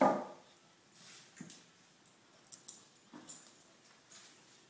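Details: Male Lhasa Apso puppy indoors, humping a small roll pillow taken from an antique daybed; an opening breathy rush, then scattered soft snorts and sniffing puffs roughly every second in a quiet room.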